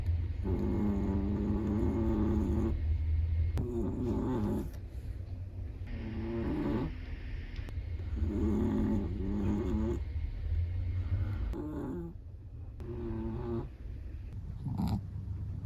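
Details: Black-and-tan long-haired Chihuahua in deep sleep, producing a run of about six rattling, nasal snores in a fairly regular rhythm. Brief soft snuffles fall between the snores.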